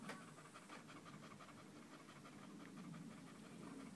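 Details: Danco, a dog staying close at the leg of the person recording on 5 August 2013, panting loudly in quick, breathy, evenly spaced puffs, about four each second, steady throughout with a soft low hum underneath.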